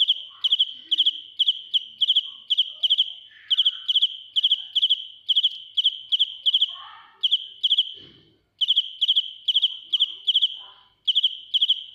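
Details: Real field cricket singing piercingly up close: a steady stream of high pulsed chirps, roughly two each second, broken by two short silences and a soft low thump.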